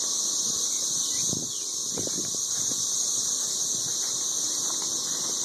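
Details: A mass of 13-year periodical cicadas high in the trees around Nashville, Tennessee, loudly calling while mating. The shrill, continuous drone dips only slightly around one second. Faint low knocks sound underneath.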